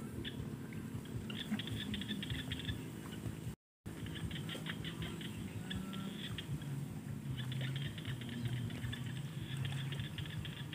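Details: Frogs calling in quick, rattling pulse trains over a steady low rumble of wind or distant traffic, recorded in the evening by rice paddy fields.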